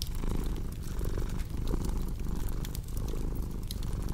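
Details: Short stretch of steady cat purring, a throaty low hum with gentle breath-driven swells, overlaid by crisp intermittent crackling from a cozy fireplace.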